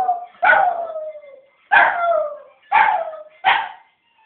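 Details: Pet West Highland White Terrier howling along to a ringing telephone: four loud howls in about four seconds, each starting sharply and then sliding downward in pitch.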